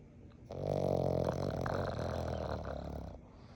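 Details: Four-month-old Boston Terrier puppy snoring loudly: one long, rough, rattling snore of about two and a half seconds with a low buzzy vibration, starting abruptly after a quiet breath and fading at the end.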